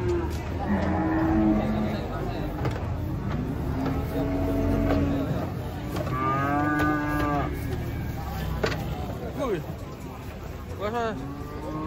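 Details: Cattle coming off a truck during unloading, giving several wavering moos in a noisy setting, with a strong bellow near the middle and a shorter one near the end against steady background hum.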